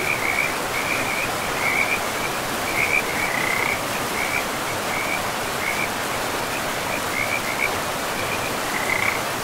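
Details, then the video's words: Frogs call beside a forest river, giving short high chirping bursts repeated at uneven intervals throughout. A continuous hiss of running water lies beneath them, and there are no other voices. "River and Frogs sleep sounds 10 hours"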